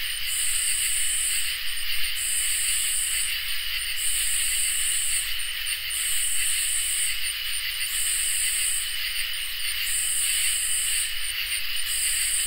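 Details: Crickets and katydids in a summer nighttime chorus: constant shrill trilling with rhythmic bursts of harsh high buzzing, each about a second long and repeating about every two seconds for the whole stretch. A quiet low rumble lies in the background.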